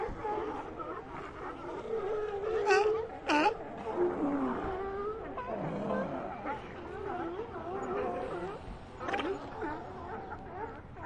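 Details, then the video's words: A colony of sea lions heard as a dense chorus of wailing moans and groans, with a few louder rasping barks standing out early on. "Ambient Sea Lions"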